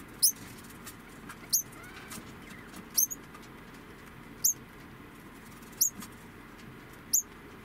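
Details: An 11-month-old female degu gives short, high, chirping squeaks at a steady pace, about every second and a half.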